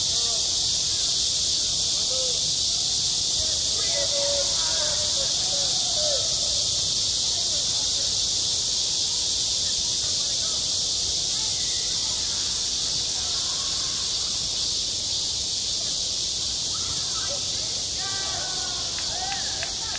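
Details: Cicadas droning through a summer day at a school playground. An even, piercing hiss holds for the whole stretch, with scattered distant voices of people audible beneath it.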